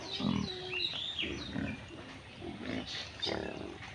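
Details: Pig foraging in village mud; low, rough grunts repeat roughly every half second to second, while thin high whistling sounds, probably birds, drift through the background.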